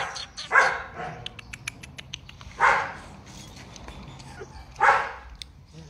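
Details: Purebred large-line Rottweiler dog barking: three loud, harsh single barks roughly two seconds apart, with sharp metallic clicks and ticks sounding between them.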